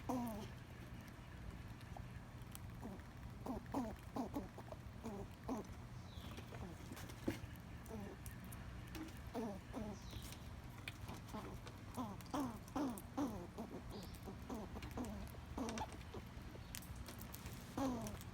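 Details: A backyard squirrel talks while it eats, giving scattered bursts of short, descending, nasal calls in clusters, mixed with sharp clicking and tapping sounds throughout.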